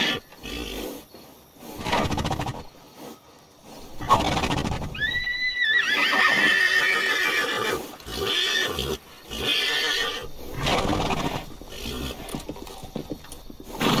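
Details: A horse from a herd ridden along the beach gives a short, shaky whinny that wavers and drops, surrounded by thudding hooves and bursts of rough outdoor noise.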